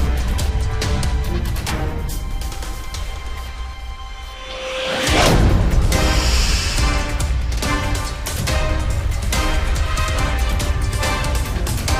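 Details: Loud dramatic soundtrack music with a rising whoosh and crash near the middle plays throughout, and no animal sound comes through.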